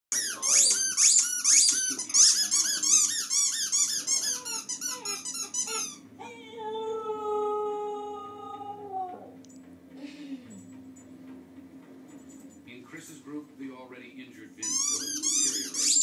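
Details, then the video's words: Poppy, a pet dog, howling indoors in a small room: about six seconds of rapid, high, squeaky yelps, then a steady, drawn-out howl lasting roughly three seconds, followed by quieter room sound and a final burst of squeals. "Poppy howling"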